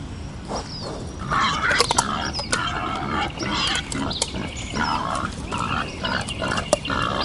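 Wild boar giving rough, overlapping grunts and squeals in quick bursts.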